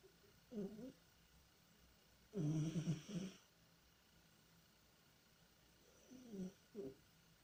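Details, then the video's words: Tihon the cat, deep asleep and dreaming, makes uneven snorts and a louder rattling snore in the middle, short wheezy puffs around it, low and breathy, indoors with a faint steady hum. "Кот Тихон храпит и куда-то бежит во сне"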